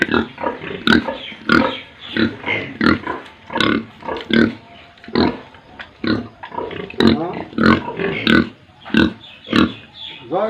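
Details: Pigs and piglets on a pig farm in Tripura, India, grunting and squealing in a dense, overlapping chorus, with short noisy bursts repeated roughly every half second to second and several sharp high squeals among them.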